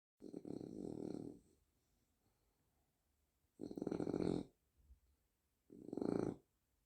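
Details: French Bulldog snoring in a small indoor room: three rough, rattling snore breaths, the first lasting over a second. Quiet pauses of one to two seconds separate them, with a faint snuffle in between.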